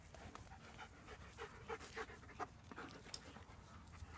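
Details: German Shepherds playing in a garden in September; quick, breathy panting with irregular rhythm, a few soft huffs and light rustling nearby.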